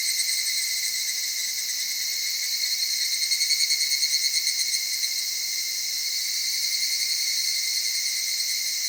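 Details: Evening cicada, noted for a soft voice, in cedar forest with mountain streams in the Okutama area of Tokyo, Japan, at dawn or dusk; a dense, steady high shrill with a brief pulsing swell near the middle.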